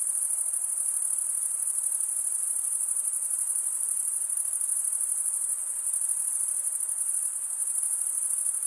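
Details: Crickets stridulating, the males rubbing wing against wing; a dense, continuous high-pitched shrill hum with a faint rapid pulsing, steady throughout with no other sounds.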